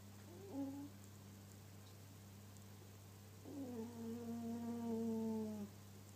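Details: Pet cat snoring indoors. A short tonal snore comes first, then a longer, drawn-out, slightly whistling snore of about two seconds, over a steady low electrical hum.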